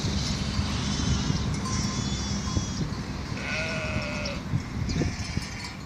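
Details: Sheep on Mallorca in April 2018 produce a chorus of overlapping, tremulous bleats, some high and thin, one lower and drawn out, over steady low wind noise.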